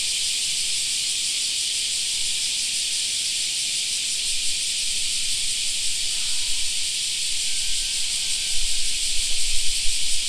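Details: Steady shrill cicada drone filling a summer park, unchanging for the whole stretch, while a low rumble swells toward the end and a few faint tonal sounds appear in the middle.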